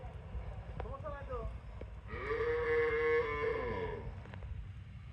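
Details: Healthy Holstein Friesian cow kept with her bull calf on a dairy farm: one drawn-out, steady, tonal moo lasting about two seconds, following a brief shorter lowing, over low farmyard rumble.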